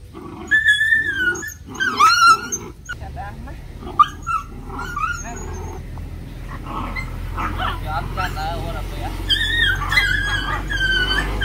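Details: Playing puppies with a dog and a person, letting out repeated high, thin whimpers and squeaky yips that slide down in pitch, in clustered bursts; a person's speech and rustling handling noise run underneath.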